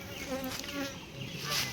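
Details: Honey bees at a beekeeping site during litchi honey collection, a steady droning hum with overlapping higher buzzes throughout, a man talking nearby.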